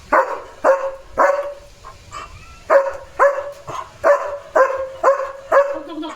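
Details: Repeated loud barks from Leo the German Shepherd, alerting to another dog outside; about a dozen sharp barks at an irregular, fast rhythm, some in quick pairs, with a brief pause in the middle.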